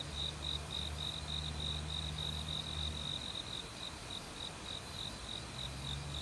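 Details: Autumn cricket singing in a forest by a valley stream, having begun calling loudly a week earlier. Bright, high pulsed chirps repeat about three times a second, steady throughout, over rushing water, with a low droning hum for the first half and again at the end.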